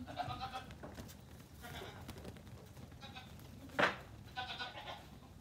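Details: Nigerian Dwarf goat kids, up to two weeks old, loose together on a farm one morning; a few short quavering bleats, separated by pauses, over steady background rustle and a sharp knock.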